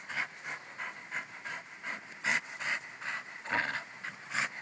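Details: Rapid panting from Bruno, a pet Jack Russell Terrier: breathy in-and-out puffs, slightly irregular, some louder and rougher than others, about seventy a minute, against a quiet low hum.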